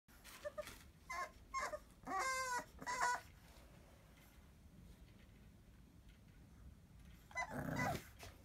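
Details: Kennel Club registered bulldog puppies. Several short, high whimpering squeaks come in a quick cluster during the first three seconds, followed by a quiet stretch and then one more brief whine near the end.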